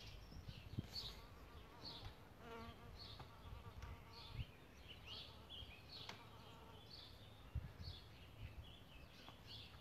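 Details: Solitary bees nesting in a bug hotel, buzzing in short passes heard as faint, droning hums that rise and fade several times, with high chirps and a steady low rumble behind.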